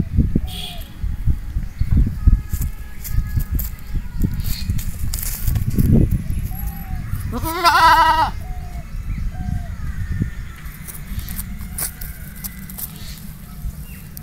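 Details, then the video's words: A goat gives a single quavering, nasal bleat midway through, lasting under a second. Heavy low rumbling and handling noise runs throughout, with a few faint thin cries in the background. "Goat sound 2023 । Best goat sound in the world 2023"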